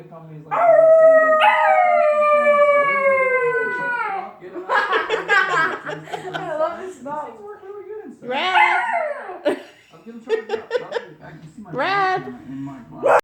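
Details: Red, a 12-week-old puppy, singing: one long, smooth howl that slides downward in pitch over about three seconds, then a person talking with shorter wavering yowls breaking in between the words.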